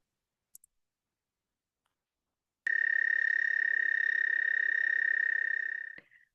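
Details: An American toad (Anaxyrus americanus) gives its call, a long, steady, monotone trill on one high pitch lasting several seconds.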